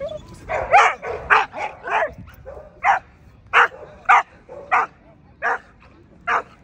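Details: American Pit Bull Terrier at the 2024 ADBA Tristate conformation dog show, 12–18 month female class: a run of loud, sharp barks in uneven bursts, about a dozen in under seven seconds, over low hall murmur.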